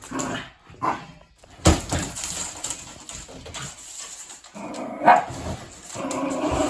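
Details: Jack Russell Terrier barking at a chair it treats as suspicious: a few short, sharp, separate barks spread across several seconds, with quieter rustling and low background noise in the gaps.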